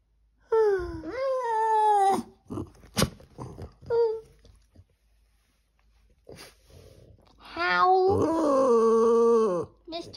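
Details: Skipper, a Boston Terrier, howls along to the Gilligan's Island theme song, which he shares with his brother Gilligan. Two long wavering howls, each rising then dipping, last about two seconds apiece and are separated by short yelps and brief quiet.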